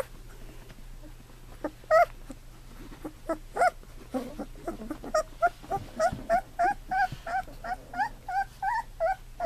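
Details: Golden Retriever puppies at two weeks of age, eyes just opened, learning to walk. A few faint whines at first build into a quick series of short, wavering whimpers, roughly three a second, toward the end.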